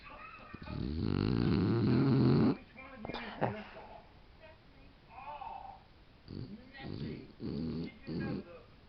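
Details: A female mini Boxer sleeping and dreaming, recorded on a digital camera, gives one loud, rough, buzzing snore lasting nearly two seconds. Several shorter, softer snuffles and snorts follow, with low talking in the background.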